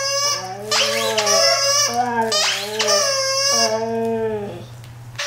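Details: A male Siberian Husky, responding to a violin being played, gives long, bending, drawn-out howls that rise and fall in pitch and sometimes break into whining, speech-like yowls, with a constant low hum underneath.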